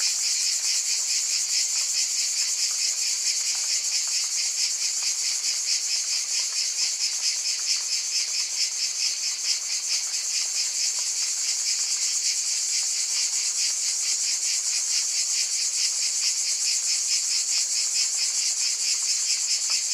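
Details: Continuous chorus of buzzing cicadas, a piercing high drone with rapid rhythmic pulsing that holds steady in pitch and loudness for the full twenty seconds.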